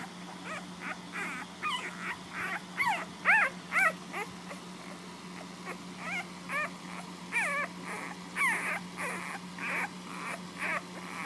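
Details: A litter of puppies nursing at home squeals and whimpers in a loud overlapping chorus. High wavering cries come in bursts, some harsh and breathy, over a low steady hum.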